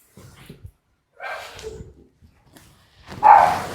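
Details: A dog being bathed at home gives two short, rough barks about two seconds apart. The second bark is louder and sharper, and faint low rustling sounds fill the gaps between them.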